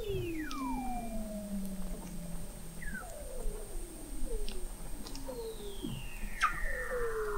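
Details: Beneath the Antarctic sea ice at McMurdo Sound, November 2017, Weddell seals produce long gliding whistles that fall steadily, with a series of shorter descending sweeps and a high steady tone running throughout, captured 21 m below the ice.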